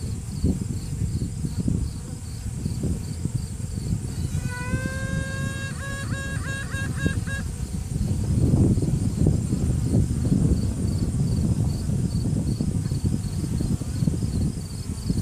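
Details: Virgin honey bee queen inside a hive, found during a routine check, sounding off to assert dominance; workers pause. One long trumpet-like tone, then a quick run of short pulsed toots, over steady low hive buzzing. Cell phone recording.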